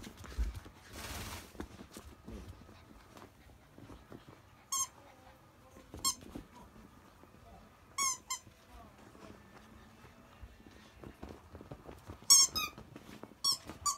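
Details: Indoor scene with 52-day-old Akita pups, mother Jun's litter raised chiefly on her milk, the heaviest past 7 kg. After a burst of rustling, short shrill squeaks come singly, then quicken into a tight cluster near the end.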